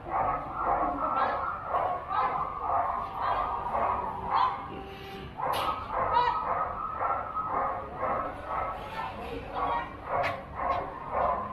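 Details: Border Collie in junior agility competition, Doggiedoo Rangsit, 21 November 2021, barking repeatedly at a quick regular pace, with voices and occasional sharp knocks in the hall.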